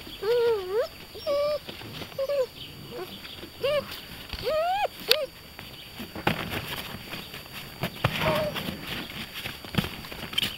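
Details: Beauceron puppies, 45 days old, from the E litter of the Poussière de Lune kennel, give a run of high whining yelps with wavering, rising-and-falling pitch in the first five seconds, then quieter rustling and scuffling outdoors.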